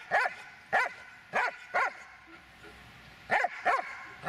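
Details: Magmar von der Burgstätte, a Dobermann aged 8 years 6 months, barking in short sharp bursts: four quick barks roughly every half second, a pause, then two more barks, in a quiet room.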